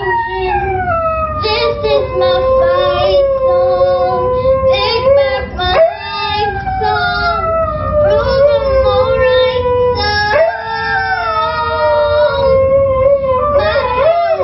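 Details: A Siberian Husky howls along to the song "Fight Song" in long, wavering, sliding notes.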